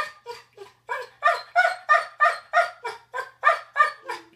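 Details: Tiger, a yellow Labrador Retriever, after mixing up the bed: about a dozen rapid, tonal woo-woo yelps, roughly three each second, rising and falling in loudness with no other sounds.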